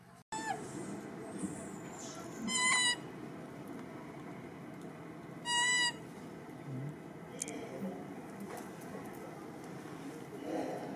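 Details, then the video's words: Baby monkey Rartin, acting aggressive toward his mother, gives two short, harsh, harmonic screams about three seconds apart over steady background hiss. "Baby Monkey Rartin Often Become So Aggressive And Impolite To His Mother And Start To Scream So Loud"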